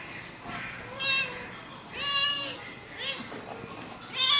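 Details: Baby kitten in a village mewing repeatedly, short high wavering cries about once a second, mixed with soft voices in the background.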